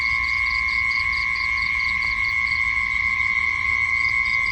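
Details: Insects calling at night: a steady, shrill two-toned drone runs throughout, with quick pulsed chirp trains at the start and again near the end.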